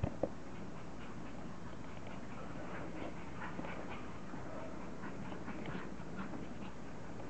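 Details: Playful English Bulldog puppies at a kennel let out scattered faint whines and snuffly grunts while goofing around, with a constant low droning noise underneath.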